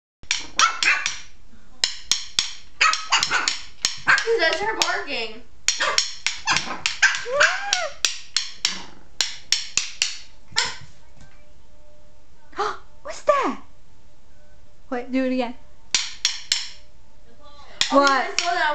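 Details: Shih Tzu puppy indoors barking at someone messing around with drum sticks: bursts of high, sharp yappy barks, some stretched into short whiny yelps, over loud repeated clicks and taps of the sticks.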